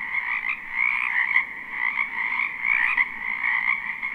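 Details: A wetland full of spring frogs behind a house, taped live without looping, gives a dense buzzing chorus of rapid croaking trills, rising and falling gently in loudness over a steady drone.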